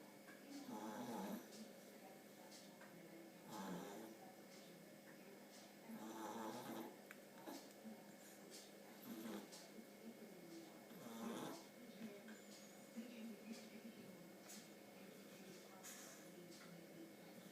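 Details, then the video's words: Dudley, a 9-week-old pug puppy, snores while asleep indoors: soft, rasping breaths that return about every two and a half seconds in a slow, steady rhythm over a constant low electrical hum. "Pug puppy 9 weeks old 'Dudley Snoring'"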